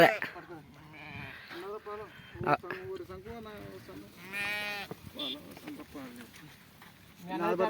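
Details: Sheep at milking time gives a tremulous, wobbling bleat midway, with brief harsh cries around it, set among steady Telugu conversation from people nearby.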